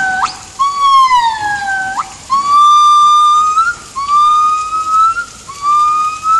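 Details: Yellow-cheeked gibbons singing on 19 January 2016, starting only around noon, with the young one already joining in a little; long pure whistled notes, some sliding upward, others sweeping down then rising, repeated every second or two.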